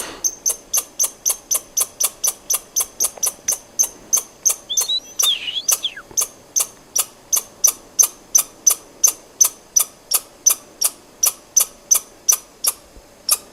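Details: Steady run of sharp, dry squirrel clicks repeated nearly three times a second for over thirteen seconds, with a brief squeaky bird-like note mixed in around the middle.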